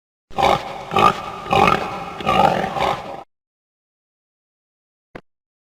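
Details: Pig making a run of harsh, noisy grunts and snorts, about five rough bursts over three seconds, broadband and throaty, then silence and a short click.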